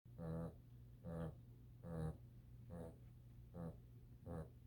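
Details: Reggie the dog snoring indoors: low, rumbling snores with a raspy buzz, each lasting about a quarter second, repeating roughly once a second at a steady pace, with a faint constant hum underneath.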